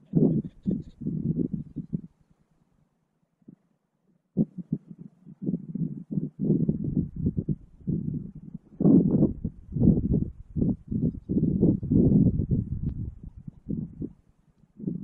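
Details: Two male Gunnison's prairie dogs in a territorial dispute over a burrow holding an adult female, mating season, April, Valles Caldera National Preserve, New Mexico, remote GoPro Hero 5; low rough growling bursts in quick irregular runs, with short pauses.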